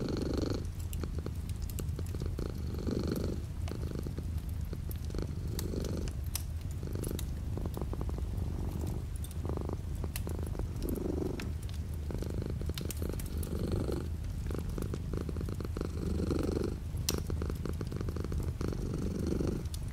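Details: Light rain outside a window accompanies a cat purring steadily, the low throaty vibration pulsing through regular inhale-exhale cycles of about two seconds, with soft rainfall texture and occasional clicks.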